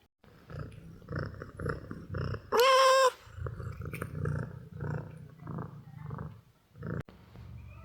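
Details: Sleepy baby kittens; one loud, steady, drawn-out meow lasting about half a second stands out among soft, rhythmic rustling and low thumps.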